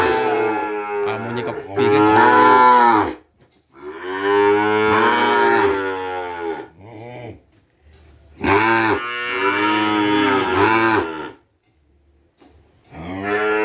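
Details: Madura cattle, kerapan racing breeding stock brought from Sapudi Island: three long, loud, deep moos with rich harmonics, each lasting about two to three seconds and separated by short pauses, the last one starting as the clip ends.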